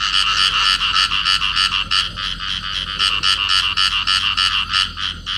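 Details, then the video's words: A clasped pair of field frogs calling. The calls are grating, buzzy pulses repeated quickly and steadily, forming loud rattling runs broken by a few brief gaps. Only the frogs are heard. "cặp nhái đồng ôm nhau kêu"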